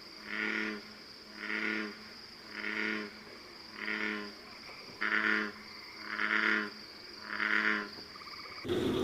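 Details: An American bullfrog gives deep, droning notes about once a second; its call is likened to a cow with a cold or described as "jug-o-rum".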